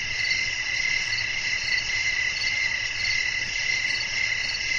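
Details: Nighttime cricket chorus in a peaceful natural setting, dense continuous high trilling with faint regular chirp pulses riding on top and a quiet low-pitched hum underneath.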